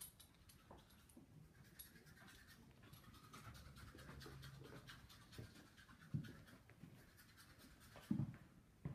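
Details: Miniature Schnauzer play fighting with a Russian Blue cat; soft panting and low grumbling growls, one drawn-out low growl in the middle, then brief louder scuffling bursts near the end.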